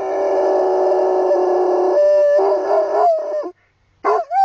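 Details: Singing Plott Hound named Huckleberry howling in the English countryside, a rough, breathy sustained howl with a harsher texture, wavering and sliding upward, then a pause and a final short rising howl.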